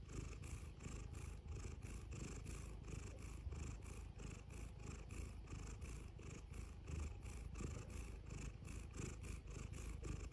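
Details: Close, low cat purring runs throughout, a deep rumbling pulse repeating a few times per second without pause.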